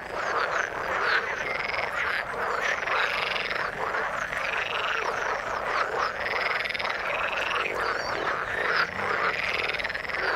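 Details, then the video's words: Frogs calling in the water, a dense continuous chorus of overlapping croaks, each rising then falling in an arched sweep, many callers repeating in quick succession with no pause across the whole stretch and no other clear sounds. "Frog sound in the water"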